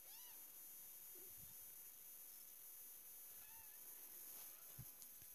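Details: Two-week-old Selkirk Rex kittens from a litter, giving two soft, high, arched mews, one at the start and another about three seconds later, over a steady background hiss with faint low thumps.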